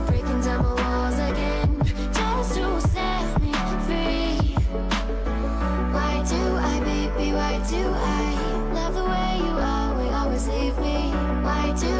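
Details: Steady pop-style music with a strong low bass beat and layered instruments plays throughout, and no animal voice comes through.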